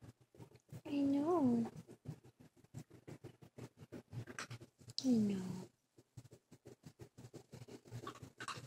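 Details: Nineteen-day-old silky terrier puppy Winnie, one of two littermates learning to walk, gives two drawn-out rising-then-falling whines about four seconds apart over pattering paws, while a woman speaks soothingly.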